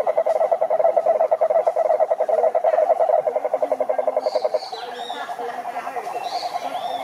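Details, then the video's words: Cane toad chorus at a Brazilian Atlantic forest lake. One toad's loud, even pulsed trill runs for over four seconds and then drops away, leaving fainter trilling toads. Brief high chirps sound near the end. "CANTORIA DE SAPOS CURURU"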